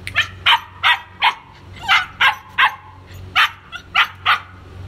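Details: Repeated shrill barks from White German Shepherd puppies, male and female, about two per second in an uneven rhythm, with a faint low hum underneath.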